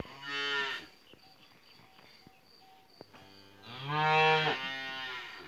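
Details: Calves in a yard, happy in their new place on a hot day, moo twice: a short harmonic call near the start and a longer, louder rising-then-falling moo about three seconds later, with a steady high insect drone throughout.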